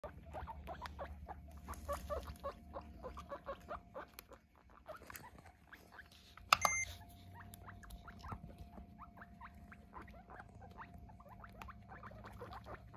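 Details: Guinea pigs, eight kept together, being weighed. Short squeaky calls repeat rapidly and steadily across the whole stretch, over a constant low electrical hum, with a brief sharp beep-like burst near the middle.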